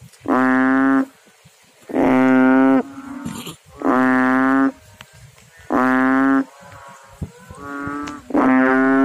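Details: Frog calling in water: deep, droning, harmonic notes about a second long, repeated roughly every two seconds, with fainter answering calls from other frogs in the gaps.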